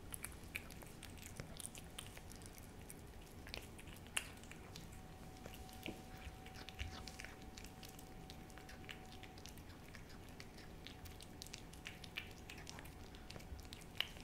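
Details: Indoors, the cat Hodu licks at a Ciao Churu treat, giving a long run of faint, scattered wet clicks and occasional sharper ticks, accompanied by a thin steady electrical-sounding tone through much of it.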